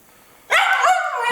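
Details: An Italian Greyhound gives a short, tuneful 'aroo' howl on cue while working for treats, a clear wavering tone.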